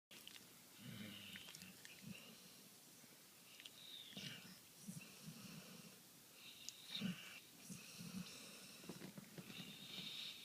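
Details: Maggie, a pet Golden Retriever, snoring in her sleep: low, rough snorts repeating roughly every second, with faint hissing breaths between them.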